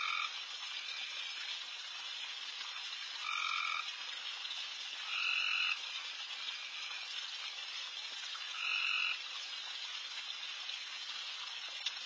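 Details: Insanely loud frogs call all around a backyard late at night while deer feed; a steady, hissing chorus fills the background, and a clearer trilled call surges above it three times, every couple of seconds.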